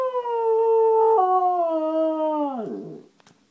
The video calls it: My dog howling :)